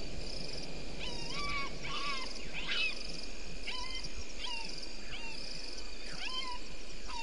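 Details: Bushbaby at Gowrie dam, Djuma Game Reserve, South Africa, recorded 04:35 on a live waterhole camera: a series of about nine short bent harmonic calls, one every 0.6 to 0.8 seconds, above steady hiss.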